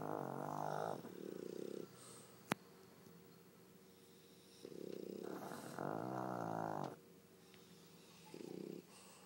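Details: Duet of snores from two pet dogs asleep, the pug Pangpang and the French bulldog Pipi: throaty, buzzing inhalations in long and short pairs repeating every few seconds, with a single sharp click.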